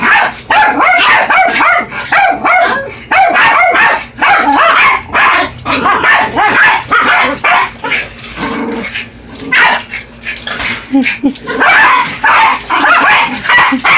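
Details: Two Yorkshire Terriers, Buddy and Elmo, attacking a radio-controlled truck: rapid overlapping high yappy barks and yips in dense bursts, with brief pauses and clattering from the toy.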